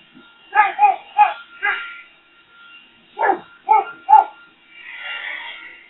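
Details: Boxer dog named Rex barking at a leaf blower: two quick runs of four short, harsh barks separated by a pause, over a steady tonal hum, with a soft rushing noise near the end.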